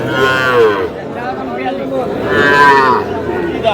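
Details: Young bull calves at a livestock market in Kushtia, Bangladesh, sold to a farmer: two drawn-out harmonic moos, one early and one near the end, over a busy background of crowd chatter and bargaining voices.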